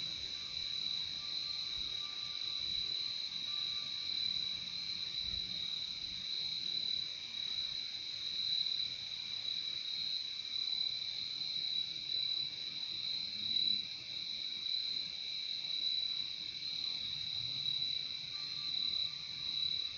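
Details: Continuous high cricket chirping fills the scene, a bright shrill trill over a softer lower one, steady in volume, with a brief faint thin tone at the start and again near the end.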